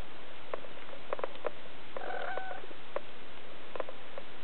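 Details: Three-week-old Siberian kittens, recorded in July 2008, give a short tonal mew with a steady pitch and clear overtones, lasting about half a second midway through, among scattered soft clicks and taps over a constant hiss.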